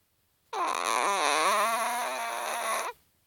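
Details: Sleeping Chihuahua giving a single drawn-out nasal snore, a tonal, slightly wavering whine with rich harmonics lasting over two seconds in a quiet small room.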